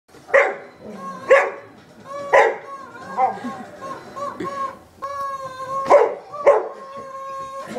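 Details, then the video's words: A dog barks at a rubber chicken, giving sharp single barks about a second apart, with long, nasal, wavering squawks from the squeaky rubber toy between and over them. "Dog Barking At Rubber Chicken"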